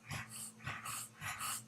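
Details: A one-eyed English bulldog in a quiet room gives a run of breathy, snorting snuffles, each burst a fraction of a second, over a low indoor hum during an interview.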